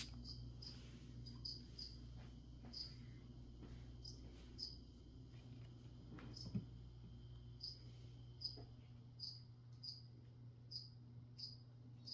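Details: Cricket chirping during a plant-spraying session: short, high, clear chirps given singly or in pairs at uneven intervals, with a pause near the middle, over a steady low hum and faint soft clicks.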